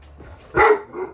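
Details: English Mastiff, one of six large pet dogs, talking back to a person: a single short, moaning vocal burst with a harmonic tone, rising and falling, after faint murmuring. A person's voice is just before and after.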